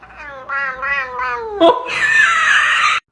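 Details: Pet cat Cooter, called a talking kitty, chatters indoors: a run of wavering, voice-like notes followed by a loud, harsh, sustained meow lasting about a second.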